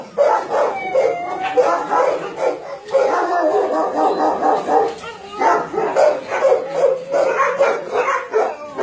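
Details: Dogs at a meat farm and puppy mill in Nonsan, South Korea, January 2017. Loud crowded barking runs throughout, with drawn-out whining howls rising and falling above the chorus.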